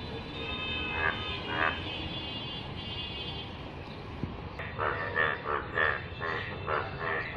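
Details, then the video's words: Yellow frog in rainwater: two isolated buzzy croaks early, then a quicker series of harsh, pulsed croaks in the second half, overlapping slightly, with a steady low background noise throughout. "অসাধারণ কণ্ঠে ডাক । হলুদ ব্যাঙ এর বৃষ্টির পানিতে"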